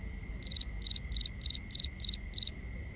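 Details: A cricket at night, binaural recording: seven clear pulsed chirps, each a tight triple click, repeated roughly three times a second over a steady high-pitched insect hum.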